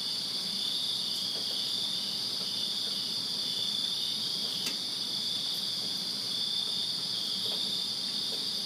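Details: Many crickets chirp together in a Virginia backyard on a summer night, a bright, unbroken high-pitched shimmer in layered bands, with a brief faint click and a low background rumble.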